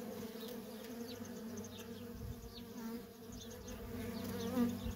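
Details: Worker honey bees streaming in and out of a feral colony, a dense continuous hum with wavering tones that swell and fade as individual bees pass close, steady nonstop traffic throughout.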